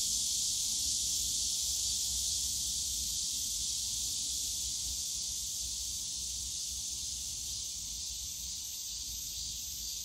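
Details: Cicadas buzzing in a bamboo grove at Yongsan Family Park on a summer day, a constant high shrill drone that eases slightly in loudness over the clip, with soft distant low rumble underneath.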